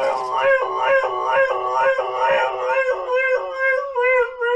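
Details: Pet dog howling in a long, wavering, tonal chorus, pitch rising and falling in repeated pulses for several seconds, with a possible second voice layered beneath.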